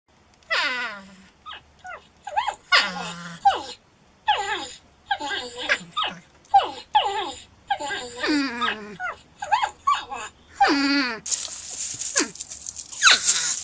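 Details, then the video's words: Porcupine cries: a rapid series of whining, harmonic squeals, many sliding downward in pitch, some wavering, separated by short gaps, ending in a burst of loud broadband rustling noise. "Porcupine Sound"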